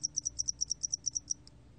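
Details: Brief burst of spotted-wing hairy cricket song from a 2020 National Institute of Biological Resources recording: around twelve rapid, shrill ticks packed into just over a second, ending in quiet.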